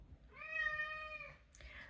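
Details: A male domestic cat indoors meows because he wants to be let outside: one long, steady, tonal meow with rich harmonics lasting about a second, then a brief, breathier second note, over faint room noise.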